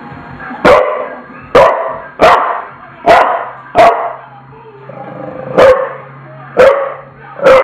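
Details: Tula, a bulldog, gives eight loud, broad barks over about eight seconds, spaced roughly one second apart with a gap after the fifth, against a faint steady low hum.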